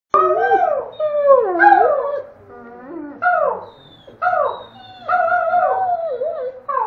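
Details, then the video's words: Red, a pet Doberman, howls and makes talking sounds alongside a child who howls in the background; wavering harmonic howls rise and fall in short phrases with brief pauses, some sliding downward. "Doberman howling and talking"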